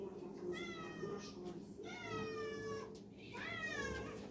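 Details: A cat named Garfield, sleeping in a tub of water, gives three drawn-out harmonic meows, each falling slightly in pitch, over a low steady indoor hum.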